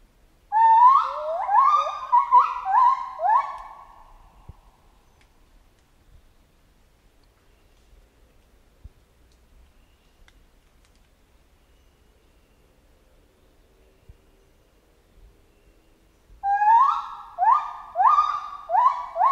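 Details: Chimpanzee calling in two bursts of rising, hooting cries, each run of about six quick voiced hoots climbing in pitch and spaced under a second apart, separated by a long quiet stretch with faint background noise.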